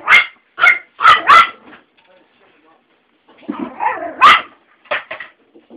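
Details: Five-week-old Alaskan Husky pups, three littermates with small breed house dogs nearby; bursts of sharp high yips and barks, a run of four then a pause, then a scrappier cluster with a person speaking softly.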